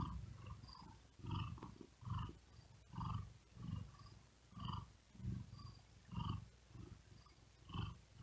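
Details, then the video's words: House cat purring while resting on a wooden desk in hot weather, its breathing quick and effortful; strong, low vibrating pulses repeat at a regular pace, about every one and a half seconds, in a quiet room. "Asmr Cat Purring And Whispering Sound"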